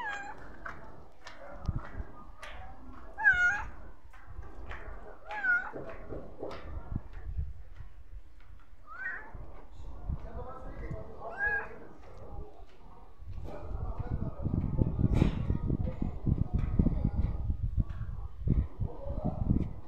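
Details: Stray street cat meowing repeatedly, a run of short, bending, rising-then-falling mews in the first ten seconds, then a louder rumbling background noise and a few fainter mews toward the end.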